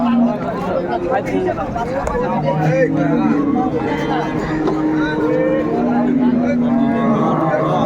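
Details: Cows with calves at Ambari market in Dinajpur, Bangladesh, 15 April 2024; long low moos rise and fall through the market din, with people bargaining and talking close by throughout.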